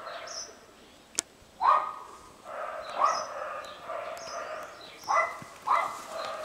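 A guinea pig gives short, squeaky harmonic calls, repeated at irregular intervals.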